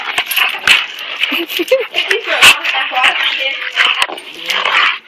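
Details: Two dogs, a German Shepherd/Rottweiler mix and a German Shepherd, play fighting: rough growls, snarls and short whimpering yelps in quick bursts, with a person talking over them.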